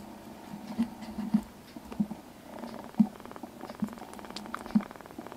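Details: Indoors, a sleepy rescued kitten purrs in a low rhythmic rumble, swelling roughly every second with each breath, with soft rustling in the background.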